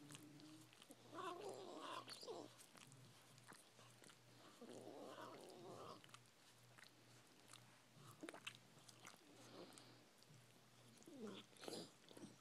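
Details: Chihuahua making a funny noise while licking, indoors: short grumbling, snuffly voiced bursts in irregular clusters with wet licking and chewing clicks between them, over a steady low hum.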